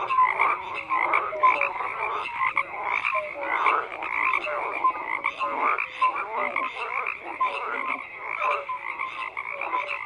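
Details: Steady chorus of many croaking frogs, layered rattling calls and a constant high buzzy band, with short clear notes popping up throughout, dense and unbroken.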